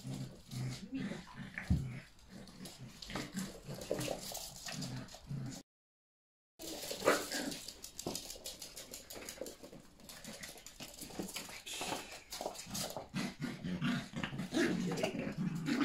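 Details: Yorkshire Terrier mother and puppies at play inside the house, dashing around. Low rumbling growls and thin whimpers repeat throughout, broken by a short silent gap, with thumping and scuffling noise.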